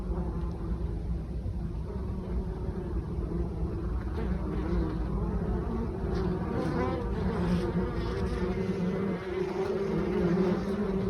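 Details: Dense, even drone of honey bees at the hive in October while foragers carry mustard pollen. Many wingbeats blend into a continuous, slightly wavering hum throughout, with no clear pauses.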